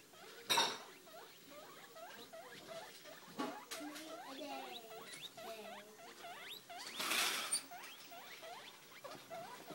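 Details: Evie, a six-week-old guinea pig, popcorning in her cage over a new litterbox: rapid series of short, rising squeaks, several per second, with occasional sharp knocks and rustles.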